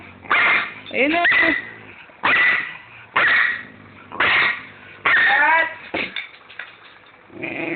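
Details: Pet dogs Tobey and Kitkat argue over food: harsh, broadband growling and yelping bursts come roughly once a second, some rising in pitch, with Filipino speech nearby.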